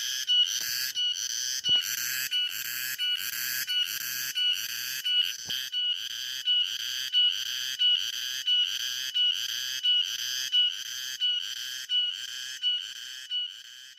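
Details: A cicada's loud buzzing call in the afternoon, pulsing in steady bursts about one and a half times per second.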